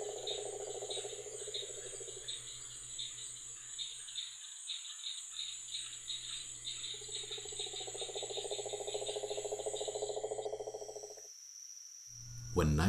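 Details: Male cane toad in Florida, perched on an incubating Burmese python to broadcast his mating call to females; a rattling pulsed trill lasts two seconds, pauses, then resumes for about four more seconds, with rapid insect chirping and a sudden loud noise at the end.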